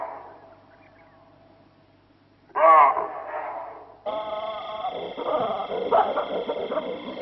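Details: Chacma baboon, also known as savannah or Cape baboon, gives a single short, loud, harsh bark after a quiet stretch. Steady high droning and rustling noise follow.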